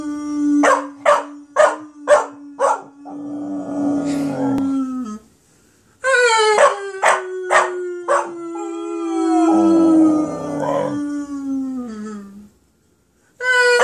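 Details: Emmy, a Border Collie puppy, howling with some encouragement: bursts of sharp yips lead into wavering, harsh howls in two long bouts, with a steadier low sustained howl running beneath them and short pauses between.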